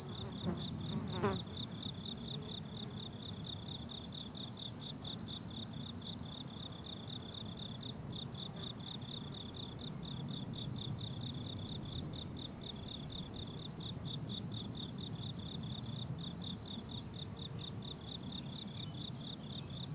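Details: Summer meadow crickets in a long steady chorus: high, pulsed chirps about twice a second, briefly thinning midway, with a sharp click early on and soft low rumble throughout.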